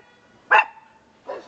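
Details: A small bark from Conga, a male pet dog praised as a good watchdog: one sharp bark with a faint ringing tail, then a softer second bark about three quarters of a second later.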